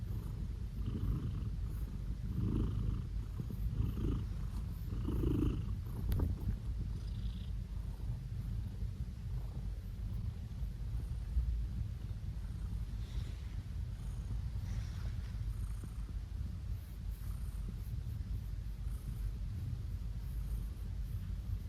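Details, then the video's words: Petted blue British Shorthair male cat purring; a few rhythmic grunty pulses early on, then a long even low purr for the rest. "Cat Making Funny Noises (British Shorthair)"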